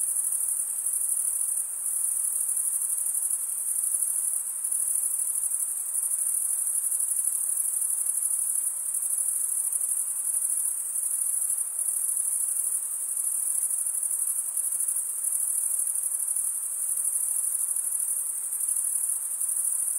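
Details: Male crickets chirping by stridulation, producing an unbroken, piercingly high buzzy trill at an even loudness throughout, the sound of a thick cricket chorus, with slight pulsing texture and otherwise quiet background.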